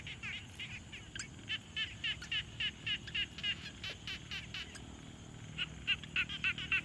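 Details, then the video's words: Quiet pond frogs, field recording on a Tascam Portacapture X6: steady series of rasping pulsed croaks about four per second, a short gap before a louder final run, soft background hiss. "Frog Sounds| #001 |Quiet Pond Nature Ambience"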